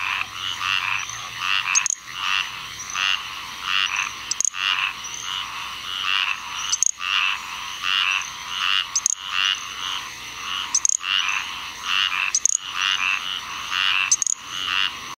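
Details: Little grass frog in Onslow County, North Carolina, 7 June 2015, giving sharp, very high tinkling chirps roughly every one to two seconds, set against a loud rhythmic chorus of raspy Squirrel Treefrog calls.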